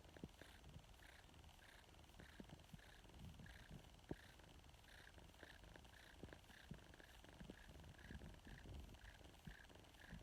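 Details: Severely malnourished female foster kitten purring: a steady low rumble with soft rhythmic pulses repeating roughly every half second, quiet indoor setting.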